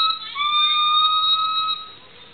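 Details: Black male gibbon, highest-voiced of a calling pair, holds a loud siren-like whistle, steady and pure with a slight rise at the start, fading after about two seconds.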